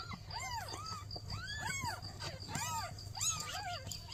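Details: Newborn kittens meowing while their mother cat asks for help: four clear, arching meows roughly a second apart, each rising then falling, over a steady low hum.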